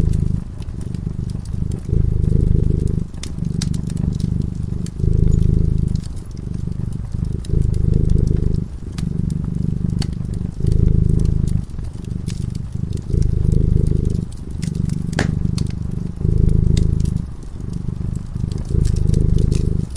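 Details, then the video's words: Domestic cat drifting into sleep before a crackling fireplace, purring throughout: low, throbbing rumble rising and falling in regular breath cycles roughly every one and a half seconds, overlaid with irregular fire pops and clicks. "Purring cat"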